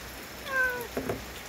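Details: A lonely stray boss cat in the Korean countryside gives a single clear meow, rising then falling with bright harmonics and lasting about half a second, followed by soft thumps and low background hum.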